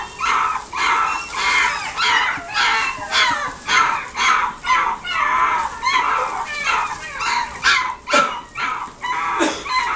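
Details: A dog in a pet shop in Nagoya, Japan, gives sharp, high yapping barks about twice a second in a steady run lasting the whole stretch.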